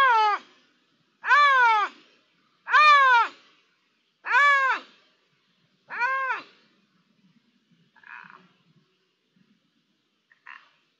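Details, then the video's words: Iberian lynx, call recorded 3 December 2021: five strong, arching, hoarse wails spaced about every 1.5 seconds, followed by two faint short notes and near silence. "La "llamada" del lince"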